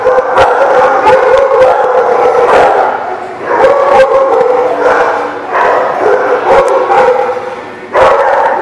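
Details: Dogs, recorded 5/4/18, keep up an overlapping din of sharp barks and yips layered on sustained, wavering howls, with bursts of louder barking every second or so.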